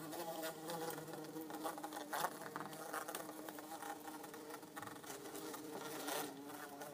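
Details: Two bumblebees, an orange-belted and a yellow-faced bumblebee, in an insect tank buzz steadily: a low droning hum with rich harmonics and small shifts in pitch.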